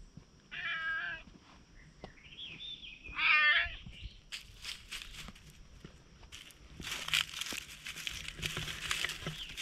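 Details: Stray cat approaching cautiously, filmed on a GoPro, gives two clear, drawn-out meows a few seconds apart with a quieter mewing sound between them, then rustling and scraping noises dominate the rest.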